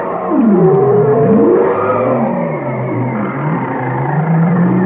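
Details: Singing whale with a drooping then rising swoop, a long level moan, and several crisscrossing slides. Ends on a higher steady whine over low rumbling tones, all continuous and echoing.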